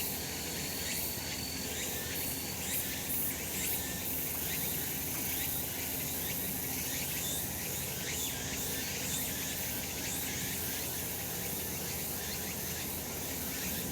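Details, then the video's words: Cicada chorus on a sunny summer mountain: unbroken high-pitched buzzing with regular rhythmic surges, plus a brief faint whistle near the start. "セミの鳴き声 夏の山 日なた"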